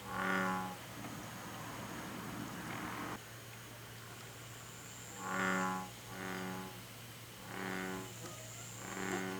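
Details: Rana catesbeiana, the American bullfrog, recorded in Korea: a deep resonant croak, then a stretch of broadband rustling noise, followed by four more low harmonic croaks spaced roughly a second apart.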